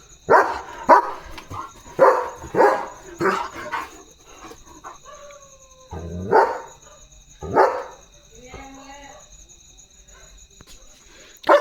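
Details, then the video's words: German Shepherd guarding at night, barking and running about in the dark; a burst of rapid barks followed by scattered single barks and a short tonal whine, with quiet gaps and faint hum. "German Shepherd Barking & Protecting at Night"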